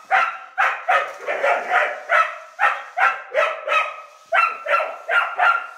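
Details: Jessie, a female rough collie, barks at a radio-controlled toy child's car she perceives as an enemy; rapid series of sharp, mid-pitched barks, about 16 in under six seconds, some in quick doubles.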